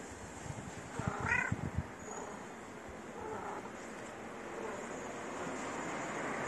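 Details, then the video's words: Orange stray cat that lives in the street, described as cute and friendly, gives one short harmonic meow about a second in, then falls quiet over a steady low background hum. "The Orange Cat Who Lives In The Street Is Very Cute And Friendly."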